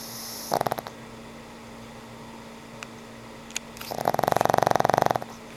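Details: Old pug Frank N. Stein asleep: a short rattling snore at the start, a few soft clicks and ticks, then one longer, stronger fluttering snore near the end over a steady low hum.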